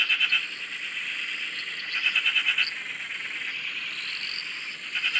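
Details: Frogs calling together at a dam in Australia, filmed from a shack: a steady high-pitched trilling wash with short rapid pulsed rattles at the start and middle, close voices over a continuous distant chorus.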